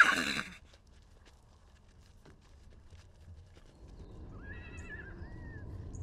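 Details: Wild horse at the Salt River in Arizona, in a story of a baby horse separated from his mother, recorded with a long-range microphone: after a loud opening burst and quiet hoof clicks, one wavering, harmonic whinny rises and falls near the end.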